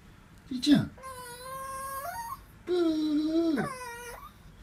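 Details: Female Pomeranian about 14 years old, which never learned to bark and meows instead, gives two long, wavering, cat-like whining cries rising and falling in pitch, greeting her returning owner after being left.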